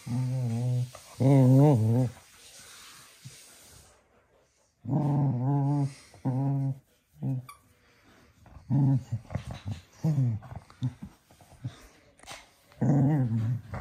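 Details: Cocker spaniel playing energetically at 10 in the evening, producing repeated low play growls with wobbling harmonics in short bursts, including a pause of about a second with near silence, plus faint household sounds.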